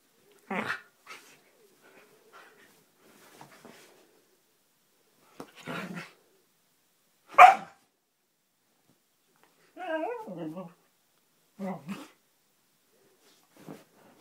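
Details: Roxy, a Siberian husky, at play indoors: a string of short barks, one loud bark in the middle, then wavering, warbling yowls that rise and fall before a final few clipped barks.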